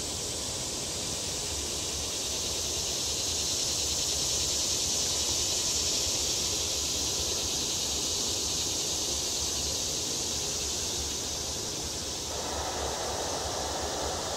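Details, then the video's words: Cicadas singing on World Peace Wetland Prairie in Fayetteville, Arkansas, on July 31, 2011, after a long dry spell without rain; a steady, high, hissing drone fills the whole recording, with a lower rustling band joining near the end. "cicadas sing"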